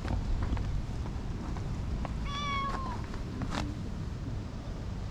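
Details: Affectionate tortoiseshell cat, fresh from a nap in a tree and rubbing eagerly against a person, utters a single short meow that holds steady then slides downward, with rustling, handling noises and a constant low background rumble outdoors.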